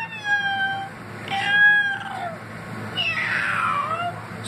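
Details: Domestic cat meowing on request for treats, recorded indoors on August 7, 2016, while being coaxed to say I love you: two drawn-out, harmonic meows, the first steady then falling, the second louder and sliding downward.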